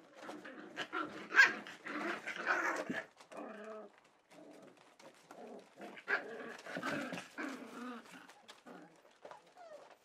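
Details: Welsh Springer Spaniel puppies, four weeks old, at Kennel Lurhaug on 9 March 2011, whimper and whine indoors: overlapping nasal murmurs, a sharp yelp early on, then drawn-out wavering wails and small squeaks.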